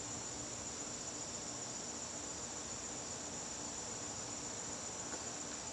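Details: Garden crickets on a September evening, a steady, unbroken high-pitched trill filling the whole stretch, with a faint low hum underneath.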